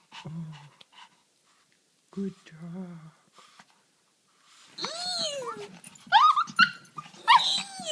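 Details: Female dog whining with excitement when she sees her owner: a few low murmurs, then a quiet pause, then a burst of high, swooping, arched whines in the last few seconds.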